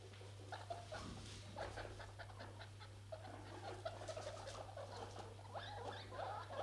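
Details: Four newborn guinea pigs, a day after birth, on their first outing together at an animal sanctuary, give soft, scattered squeaks and chirps over a steady low electrical hum.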